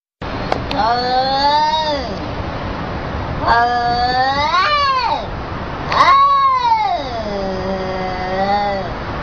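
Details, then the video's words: Domestic cat being scolded, giving long drawn-out meows of about one to two seconds each, rising then falling in pitch, three separate calls with brief pauses and a constant background hiss. "CAT GETS BOLLOCKING"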